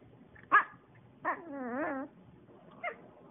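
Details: Maltese dog being vocal indoors: a sharp yip, then a drawn-out wavering whine-howl that bends up and down for nearly a second, then a short yelp, while a person asks what it wants.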